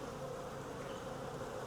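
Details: Wild honey bee swarm taken from a tree branch: unbroken mass buzzing, a smooth humming drone of many wings holding steady, with a small bump at the close.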